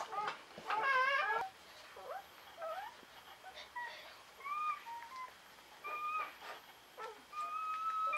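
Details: Newborn Czechoslovakian Wolfdog puppies, from a litter of five females born 21 November 2020 to Orizon and Rahan at a breeding kennel, resting with their mother: thin, high squeaks and short whistled whines, some rising or falling, scattered over quiet indoor background.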